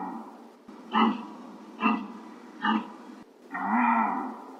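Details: Real deer recording. Three quick, clipped bleats less than a second apart, followed by one longer, arching nasal call.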